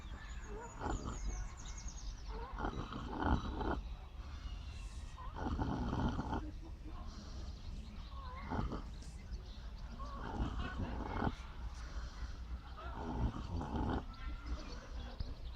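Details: Snoring from a miniature pot-bellied pig asleep: a long series of husky, rattling inhaled snores, each about one second, repeated every two to three seconds with soft grunting undertones.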